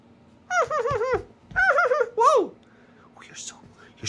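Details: Fawzi, a pet Rüppell's sand fox racing around indoors while laundry is folded, makes two wavering, warbling whines and a short downward cry, then quiet, with faint voice.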